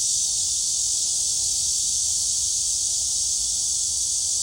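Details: At Gwangalli Beach, cicadas produce a continuous, intense high buzzing whine that stays constant and level without pauses, alongside dragonflies in the scene.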